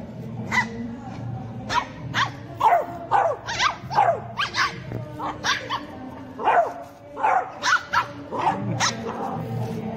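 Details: Four-month-old Beagle puppy play-fighting with a two-month-old Shih Tzu puppy. High, sharp puppy barks and yelps come in quick bursts, about a dozen over ten seconds, over a low, steady background of music.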